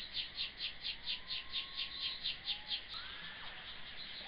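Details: Himegisu katydid (Eobiana engelhardti) calling, captured with synchronised sound alongside slow-motion footage; a rapid series of buzzy high-pitched pulses repeating about twice per second, ending near three seconds, with faint whistled bird notes in the background.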